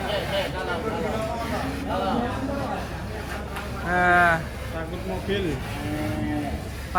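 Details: Raging bull coming down from a truck, letting out a loud, drawn-out moo midway among other wavering lowing sounds, with background music, people talking and vehicle noise.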